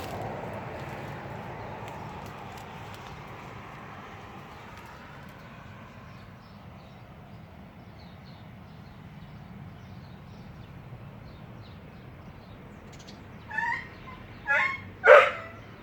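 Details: Crying dog: a faint, drawn-out whine early on over steady low rumble, then three short harmonic yelping cries near the end, each louder than the last.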